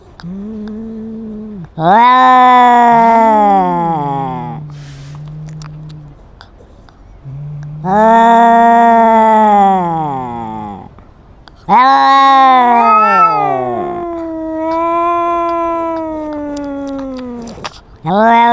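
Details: Cat argument with a loud rival: separate bursts of wailing meows rising and falling, low droning moans between them, quieter pauses, and a final yowl sliding slowly downward in pitch.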